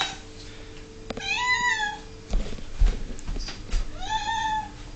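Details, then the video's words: Pet cat Ming, a female aged 11, meows insistently indoors while waiting for dinner: two drawn-out arching meows separated by thumps and handling noises. "Ming is a Whinging Cat!!!!!"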